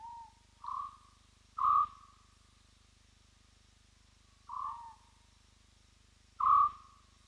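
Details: Whooping spotted hyena at Roy's Dam, recorded by a streaming wildlife camera: a bout of five clear tonal whoops at a mid pitch, each under half a second with a falling tail, spaced one to three seconds apart, over a steady low hum.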